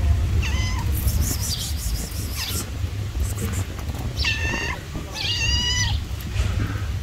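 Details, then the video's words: Angry tabby street cat chasing another cat away: loud, drawn-out harmonic meows, a short one early, then two strained, wavering yowls near the end, over steady low rumbling background noise. "When the cute tabby cat saw the other cat approaching me, it got angry and chased it."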